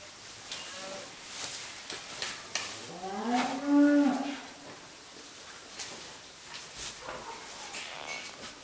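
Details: A Japanese Black cow that has lost both hind legs to amputation, looking at its own legs, gives one short nasal moo midway, rising slightly then holding steady with rich harmonics; otherwise a quiet indoor setting with faint rustling.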